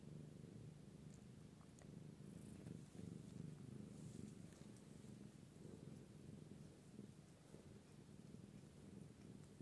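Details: Low continuous purring from a British Shorthair cat of the British Blue colouring, a rough rhythmic rumble with gentle pulses, plus faint rustling and small clicks in the background.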